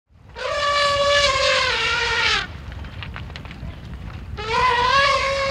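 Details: Elephants Fah Sai and Dok Mai trumpet joyfully while running playfully through their sanctuary home, expressing happiness and freedom. Two loud, brassy blasts rich in harmonics: a first lasting about two seconds with a slight downward slide, then a pause, then a second blast.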